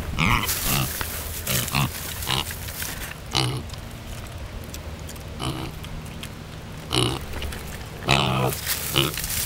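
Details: Several pet pigs (Sus domesticus) give deep, burp-like grunts in short bursts every second or two.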